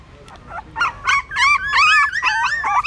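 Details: Several newborn puppies nursing from their mother at a pagoda stupa in Siem Reap, Cambodia: a few soft squeaks build quickly into loud, high, arching whines. The whines overlap and grow more insistent toward the end.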